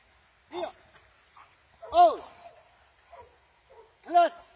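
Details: Dobermann dogs being trained in Germany; three loud harmonic barks, spaced about one and a half seconds apart, with quieter voices murmuring between them.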